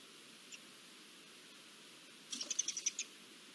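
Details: Garden dormice giving alarm calls at the arrival of an Iberian lynx, recorded 20 June 2024: a single faint chirp, then a quick burst of about eight short, sharp, high-pitched chirps within under a second, over a steady background hiss.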